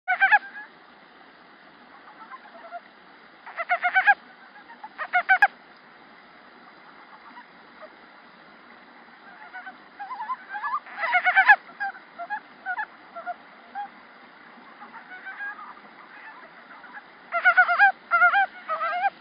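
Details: A male montane brown frog calling in a flooded rice field in early spring, 8 March 2013, gives short bursts of rapid, chuckling pulses separated by pauses of several seconds.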